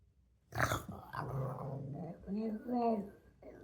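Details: Pug at play making funny sounds: a sharp snort, then a low rumbling growl rising into wavering whiny, moaning tones, with a short snuffle at the end indoors.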